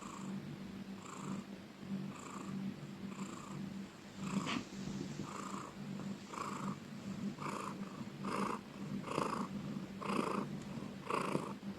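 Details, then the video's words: Domestic cat purring loudly: a continuous low rumbling purr under a pulsing pattern of breaths roughly once a second, growing stronger toward the end. "Cat purring loudly ||Suara kucing mendengkur"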